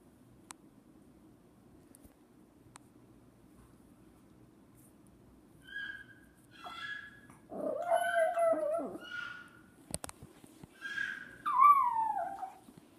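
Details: Female pet dog crying after a boy made a noise resembling a baby's cry. The room is quiet at first, then broken, quavering whines and short yelps build in the second half, ending with a falling wail.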